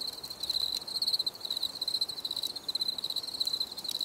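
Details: Cricket chirping in a nature recording meant for relaxation, a near-continuous high, pulsing trill with only brief dips, over a quiet hiss.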